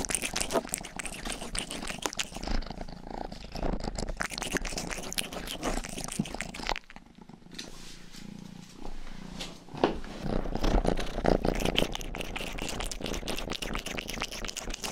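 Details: Youngest pet cat Rang-i purring while grooming, recorded indoors on a binaural mic for ASMR; a low continuous rumble pulsing about twice a second, broken by a brief quiet spell midway, with crisp licking clicks on top.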